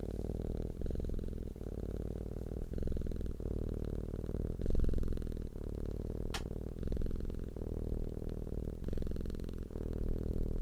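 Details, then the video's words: Domestic cat purring, described as content and relaxed: a deep, steady rumbling hum, broken by brief pauses about every second as the breath turns over, with one sharp click near the middle, in a quiet indoor setting. "CAT PURRING SOUND deep humming sound of a purring cat"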